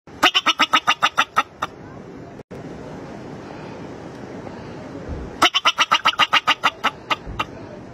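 A bobak marmot gives rapid bursts of sharp, shrill chirps, repeated several times a second.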